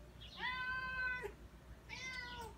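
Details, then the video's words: Tuxedo cat meowing repeatedly at a door in wanting to go outside to the backyard: two drawn-out, harmonic-rich meows, the first long and level then falling, the second shorter and descending, in a quiet room. "Wally Meowing at The Door"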